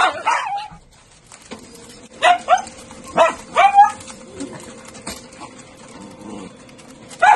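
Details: Miniature Dachshunds at a breeder's home let out a few short, sharp yips and barks in a quick cluster, separated by quiet stretches over a steady low electrical hum.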